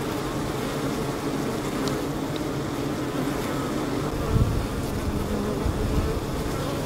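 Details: Honey bees fanning the hive and collecting water from a leaky hose, a cat nearby; a continuous low droning hum of many wings, steady throughout with a faint tick or two.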